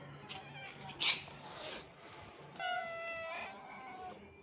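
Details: Sick kitten taken away from its mother for treatment: a long, tonal, harmonic-rich meow lasting about one and a half seconds, steady then slightly falling, preceded by a few shorter, fainter cries and a sharp brief squeak.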